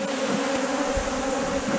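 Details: Bees at Valderejo nature reserve, a steady droning hum with a low fundamental and stacked harmonic bands holding constant through the short stretch, no other clear sounds.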